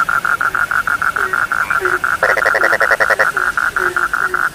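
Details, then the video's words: Frogs calling at night in an Indonesian sleep recording: a steady train of short pulsed notes near the middle range, with a brief burst of broader rasping pulses midway and occasional low descending croaks beneath. "The sound of frogs lulls sleep"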